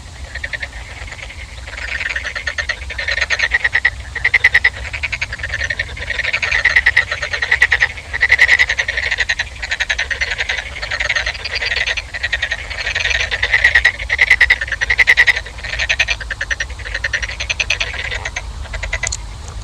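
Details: Frogs calling in a dense chorus, many overlapping pulsed croaks centred high and bright, a steady wall of rapid clicking rattles with no pauses.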